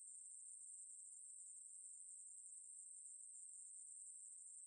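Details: Steady, very high electric-sounding buzz from a Ruspolia katydid, sustained without interruption over a few seconds, with nothing else audible.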